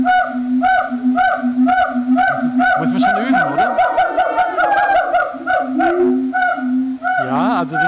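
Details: A monogamous gibbon pair in Cambodian rainforest duets, recorded with a directional microphone; pairs call together for hours each morning. The male's low hoots are set against the female's higher, swooping notes.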